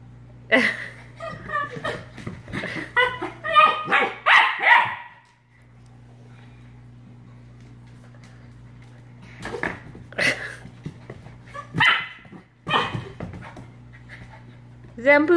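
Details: Australian Shepherd puppy fighting off a bottle brush. A rapid run of yappy barks is followed by a quiet pause with a steady low hum, then more scattered sharp barks and yips.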